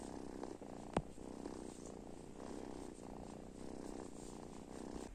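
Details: Cats and kittens waking in the morning give a continuous, throaty purr, even and rhythmic throughout, broken once early on by a single sharp click in a quiet room.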